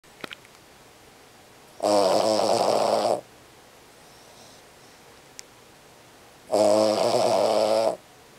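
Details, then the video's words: Small Cavalier King Charles Spaniel snoring loudly while asleep indoors, keeping a corgi awake: two rasping, buzzy snores about five seconds apart, each lasting over a second, with quiet room between. "Dog Snoring! King Charles Cavalier Spaniel wakes up Corgi!"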